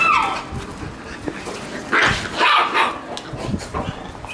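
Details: Lively Shiba Inu puppies: a thin whine opens, then short, high yapping barks in a quick cluster around the middle and a few softer yips near the end, with room noise underneath.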